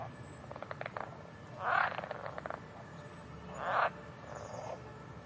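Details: Frogs calling: two loud, rasping croaks about two seconds apart, each roughly half a second long, preceded by faint quick clicking rattles, all over a steady background hiss.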